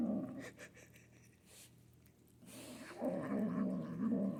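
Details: A young female Manx kitten, food-aggressive while eating, gives a throaty, rippling growl. It fades midway and then returns louder, with rapid wobbling pulses.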